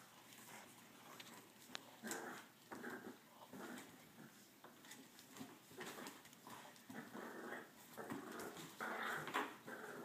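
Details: Two French Bulldogs playing tug of war, giving rough, low growls and whiny grumbles in uneven bursts several times a second, with short pauses between bouts and some scuffling and rustling of the toy.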